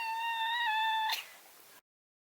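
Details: Male Maine Coon, neutered, a house cat, holding a steady, clear meow for about a second that breaks off into a fading breathy tail.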